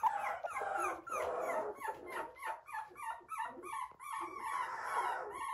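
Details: Poodle at a breeder in Okayama, Japan: a rapid string of short, squeaky yips and whimpers, breathy at first, then clearer tonal notes, ending in a drawn-out whine, heard indoors.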